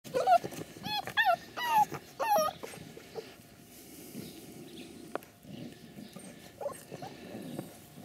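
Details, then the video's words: Ca de Bou puppies at play: a burst of high, bending whines and yelps in the first two and a half seconds, then quieter scuffling and a few faint squeaks. "Ca De Bou Welpen beim Spielen"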